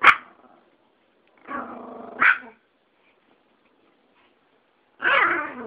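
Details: Yorkie and Pomeranian going at it in a fight: a sharp bark, a rasping growl ending in another bark, then a louder harsh snarl after a pause.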